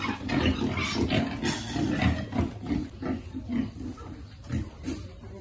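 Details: Quick, low grunts from piglets being fed, about three a second at first, then sparser, softer grunting.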